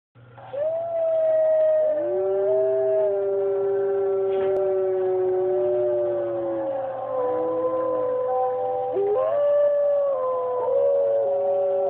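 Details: Dogs howling together in long sustained overlapping tones, several voices at different pitches holding and sliding between notes, with brief dips and rises around the ninth second; a steady low hum runs underneath.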